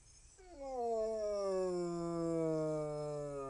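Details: A Basset Hound gives a long, mournful howl that slides down in pitch and holds low.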